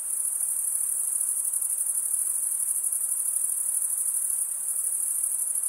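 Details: Chorus of crickets, males chirping by stridulation, rubbing one wing across the serrated vein of the other; steady shrill high trill with rapid fine pulses, unbroken throughout, no other sounds.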